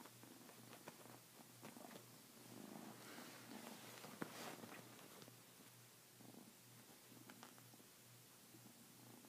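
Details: Kitten purring steadily and low while attacking a blanket with a hand moving underneath, amid soft rustling and scratching of fabric indoors.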